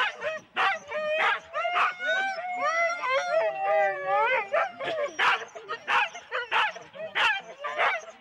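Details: Excited Huskies in four-dog sled teams at the start, Rendlesham, January 2016; wavering whines and howl-like yodels swell mid-clip, then sharp barks repeat roughly every half second to second.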